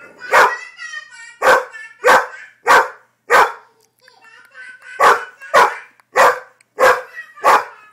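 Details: Rhodesian Ridgeback dog barking, confused while listening to twin babies talking; about ten loud, sharp barks in under eight seconds, roughly evenly spaced, with babbling baby voices between them.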